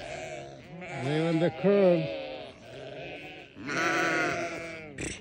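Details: Newborn lambs on a farm, wavering bleats rising and falling in pitch around one and three seconds, another drawn-out bleat near four seconds, with a man speaking about feeding corn between calls.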